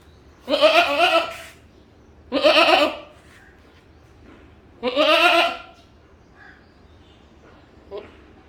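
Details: A goat gives three strong, tremulous bleats about two seconds apart, each a harsh wavering cry, followed by a faint short sound near the end.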